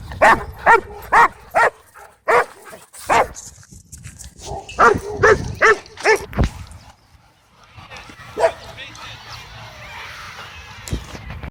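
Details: Cane Corso at a dog park trying to dominate, interrupted by a dog named Bodhi; rapid series of sharp barks about two per second in clusters, with a gap and a noisy rustling patch toward the end.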